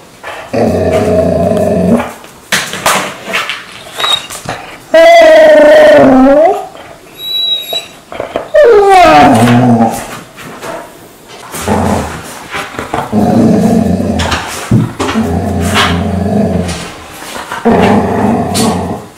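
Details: Each morning the dog Mansu wakes its owner with peculiar noises indoors: rumbling grumbles alternate with a couple of clear, sliding howl-like notes, with some speech-like overlap.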